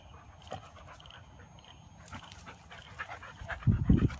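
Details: Brave Siberian Husky puppy in rough play with its older brother and mother; quiet shuffling, then a short, loud, low growling grumble in the last second.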